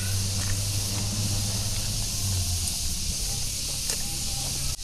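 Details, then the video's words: Cicada droning in the background at a village-style restaurant in Sasakala, adding to the rural atmosphere; a steady high-pitched hiss fills the whole clip above low rumbling and clatter. "Kedengeran nggak? Dengar suara tonggeret."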